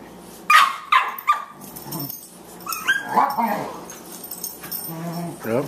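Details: Boxers at play: Margie, a 14-week-old puppy weighing 18 pounds, pesters the older Lou Dog. Three sharp, high yips in quick succession, then whiny, wavering yelps and squeals, with a man talking over the romp.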